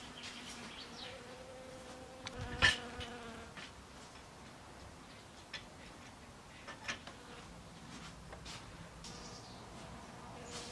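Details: A western honey bee visiting snowdrop flowers buzzes steadily, its hum wavering softly with a few brief clicks and rustles.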